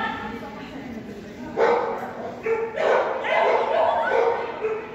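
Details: Barking from Strip the Whippet on an agility course: after a quiet start, sharp bright barks burst out from the second mark on, some clipped and some drawn out, overlapping with voices in the background.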